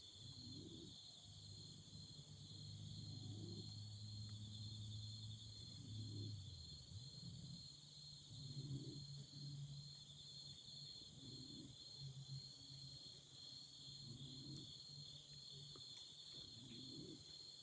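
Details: Autumn insects beside a campfire give an even, unbroken high buzzing trill, layered over a low humming rumble and soft pulses repeating every two to three seconds, with light crackling.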